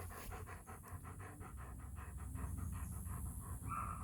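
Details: Show-line German Shepherd puppy in Florida panting in quick, rhythmic breaths, roughly three to four per second, each a soft breathy burst, over a steady low hum.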